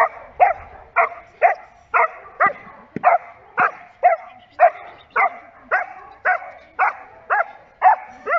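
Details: During protection training, a Giant Schnauzer barks hard and fast: a long series of loud, clipped barks at a little under two per second, fairly even in strength throughout.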